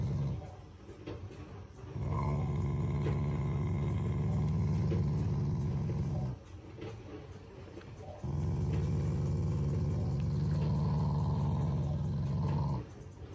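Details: Shiba Inu, a pet family dog, growling out of affection rather than anger: two long, deep rumbling growls of about four seconds each, low and steady with a faint higher overtone, separated by a quiet pause.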